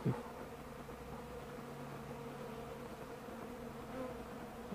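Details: Bees flying outdoors on a warm 65-degree December 2, 2012 day, fed cappings and honey set out for them. A steady low droning hum with faint overtones runs throughout, and a soft thump comes at the start.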